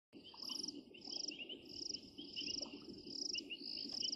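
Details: Painted reed frogs give short, shrill, whistled chirps, repeated rapidly over a low rumbling background; recorded 16 January 2023.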